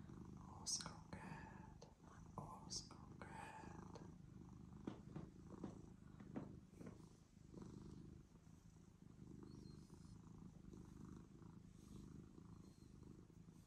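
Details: Cat that came up to a person keeps a steady low purr going while soft whispering and rustling sounds come in during the first few seconds.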